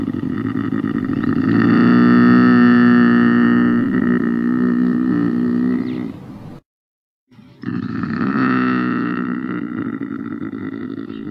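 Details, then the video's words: Lynx giving drawn-out, strained yowls with rich layered harmonics over a low droning base. The first call swells and holds for about six seconds, then breaks off into a short silence before a second long yowl resumes. "Ryś - Lynx - Luchse"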